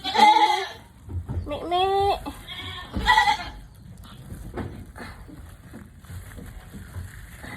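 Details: Female goat struggling through a difficult birth on a farm: three loud wavering bleats in the first three seconds, one with a downward-bending pitch, then quieter background noise and faint voices.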